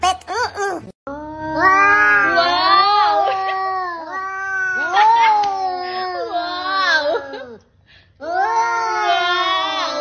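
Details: Cat caterwauling in a long, wavering yowl that bends up and down in pitch for several seconds, briefly drops away, then resumes just as loud, with a short meow-like cry at the start.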